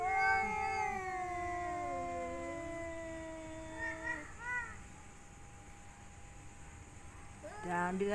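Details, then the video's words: Mating-season yowling from cats, a female courted by three males: slow, long, sliding wails that sag in pitch, two brief wavering cries midway, and a fresh yowl starting at the end. "Kucing mencari pasangan"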